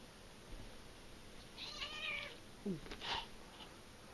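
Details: Two domestic cats, brother and sister, wrestling indoors while play fighting; a short, high chirping meow with bright overtones midway, then quick thumps and scuffles, with faint room noise throughout.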